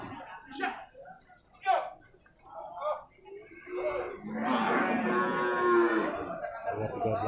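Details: Bull water buffalo calves at an Indonesian livestock market in Purwakarta: after men's talk, a loud, rough, drawn-out bawl rises for about two seconds, followed by a fainter trailing call amid market chatter.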